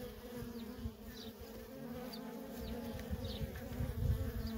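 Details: Nonstop traffic of worker honey bees at a feral colony: a continuous low buzzing drone with stacked harmonic bands, brief whining passes of single bees and rough low-frequency thrumming from nearby wingbeats.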